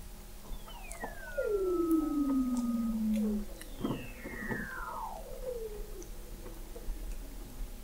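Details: Weddell seals under the sea ice of McMurdo Sound, Antarctica, captured in November 2017 by a hydrophone observatory 21 m below the ice: long descending whistled glides, one sliding smoothly downward for two seconds, then a swooping falling call.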